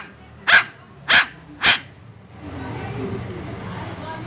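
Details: Puppy barking, three short sharp barks about half a second apart, then a steady background hiss for the rest.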